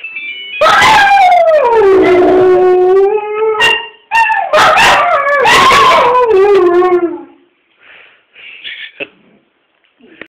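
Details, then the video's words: A ringtone sends two dogs into a howling competition: long drawn-out howls sliding down in pitch, then a second burst of yipping howls, fading to quiet with faint tones at the end. "Annoying ringtone sends dogs wild"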